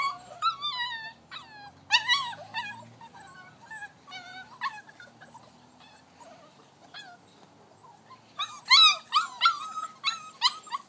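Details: Six-week-old Vizsla puppy named Rascal climbing an X pen, giving high whines that rise and fall, in bursts near the start and a louder cluster toward the end, with quieter gaps between.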